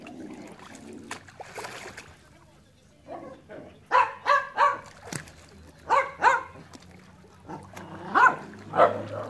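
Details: Enzo and Ozzy, dogs, giving loud clipped barks: a few soft sounds first, then regular barks in twos and threes, about one per second over the last five seconds, with a low background hum.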